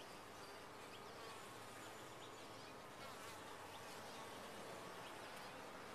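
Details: Honey bees humming in a top-bar hive, a constant, dense buzz with no breaks, a colony drone at an even volume.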